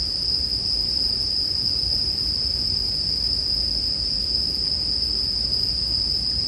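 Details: Continuous high-pitched ringing from bell crickets, unbroken for the whole stretch, laid over the low, dense rustle and crackle of a burning campfire meant as calming sleep background.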